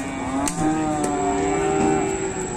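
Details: Fierce cattle in a farm shed making a racket, a long drawn, low harmonic moo running through with music playing over it.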